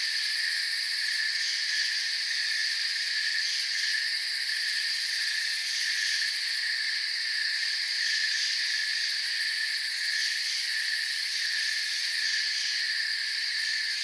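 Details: Forest crickets forming a constant high buzzing trill, many callers overlapping into one even wall of sound with slight pulsing in the upper layers.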